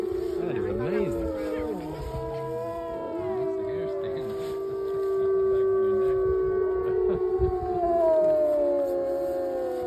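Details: Several wolves at a wolf preserve howl together on March 5, apparently answering a fire siren, long sustained tones overlapping and sliding in pitch.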